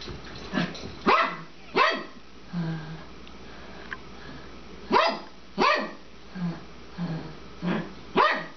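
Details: Suzy-Q, an elderly 12-year-old female Papillon, barks while playing with her bone at home; sharp, high barks in pairs and small runs, roughly every half to one second, with softer yips and quiet pauses between bursts.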